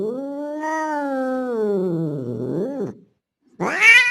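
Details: Male street cat resembling a Bengal calling to a female in heat: one long drawn-out yowl that slowly sinks and wavers at the end, then after a brief silence a sharp rising yowl begins.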